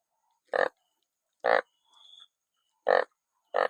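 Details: Banded bullfrog among many caught after rain, giving loud, short, nasal 'wonk' honks about once every second to one and a half seconds, four in all, with a brief soft high hum between them.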